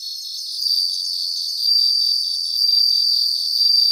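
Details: Several bell crickets singing in a grassland, a continuous high, ringing trill that swells in loudness roughly once a second above a fast, pulsing insect chorus.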